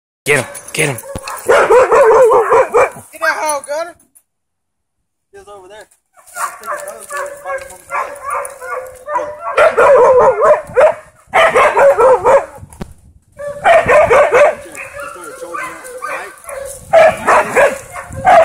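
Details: A male Siberian husky, playing with a hog, gives bursts of yodeling, talk-like howls and barks, with a person's voice now and then.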